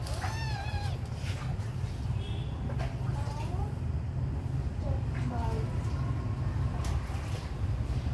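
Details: Small abandoned kittens playing, friendly: several thin, high, wavering meows, some rising then falling, scattered through the stretch over a steady low rumble like traffic or an engine, with faint voices.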